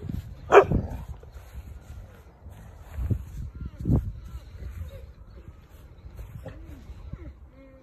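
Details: Neapolitan Mastiff puppy, four and a half months old, at first approach at the breeding kennel: one loud, deep bark early on, then a few softer low woofs spaced a second or so apart, with people talking throughout.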